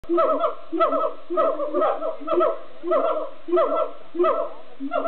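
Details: Siamangs singing at Amersfoort Zoo, Netherlands, with loud hooting bursts repeated almost twice a second in a steady, pulsing chorus.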